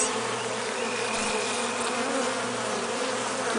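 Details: Honey bee drones stuck outside their hive, unable to find the way in through the robbing-screen entrance, give a steady, low droning buzz that holds one pitch throughout.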